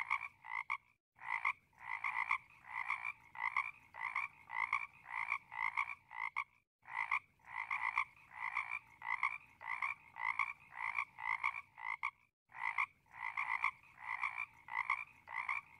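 Frogs croak in a dense, steady chorus of harsh, rapidly repeated notes with brief pauses.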